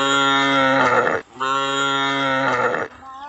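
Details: Calf gives two long, steady moos, each lasting over a second, with a rich, even buzzing tone and a short gap between them; a fainter, brief sound trails at the end.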